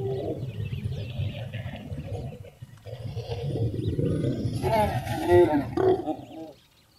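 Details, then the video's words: Wild lion pair copulating a few metres from a parked car in Kgalagadi Transfrontier Park, Kalahari Desert: low rumbling growls build into a loud, harsh, harmonic snarl near the end, then fade, with faint bird chirps in the background. "Lions Mating in the Kalahari Desert"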